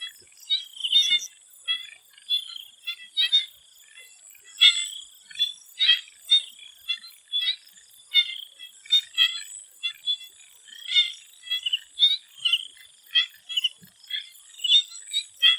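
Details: Many swamp frogs in Thailand calling together before sunset: overlapping rapid ticking pulses and short bleats in irregular bursts, under a constant thin high-pitched hiss.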